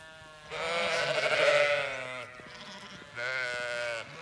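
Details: Zwartbles ewes on a regenerative farm in County Kilkenny, Ireland, bleating on hearing the feed bucket, which was meant for the rams. One long, wavering, nasal bleat is followed after a pause by a second, shorter one.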